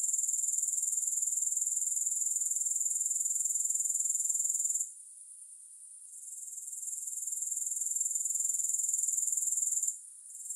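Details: Grasshoppers in a long relaxation recording without music: a dense, high, hissing buzz of rapid pulses, steady for five seconds, then briefly dropping away and building back, with one more short dip near the end.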